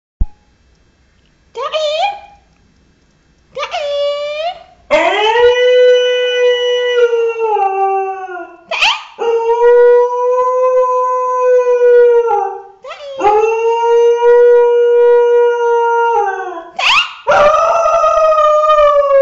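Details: Dog howling in a funny compilation: short rising yelps, then long steady tonal howls held several seconds each, separated by brief upward-sliding breaks.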